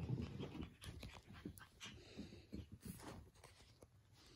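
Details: A playful puppy, struggling to win back his favorite toy from the household cat, breathes in rapid, rough pants with faint whimpery edges, over low thumps and rustling.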